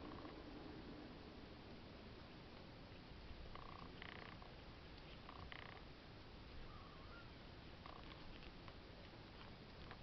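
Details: Black-and-white male Exotic Shorthair kitten giving a soft, steady low purr throughout, with a few brief faint higher sounds in the background.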